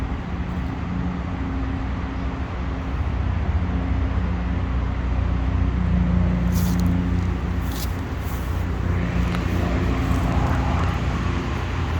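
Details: Outdoor street scene of steady road traffic and a humming engine, with brief higher noise bursts and no animal calls.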